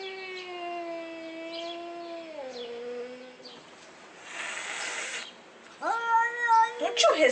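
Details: House cat talking loudly to its owner indoors, trying hard to communicate. A steady, sustained yowl drops in pitch partway and fades, followed by a shorter rising-then-level cry after some rustling noise.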